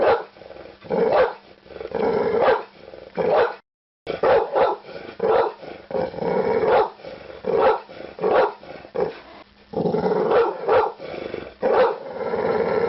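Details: Pit bull barking repeatedly, quick sharp barks and rasping, growling drawn-out calls, broken by a brief silent gap near the start, otherwise continuous and close.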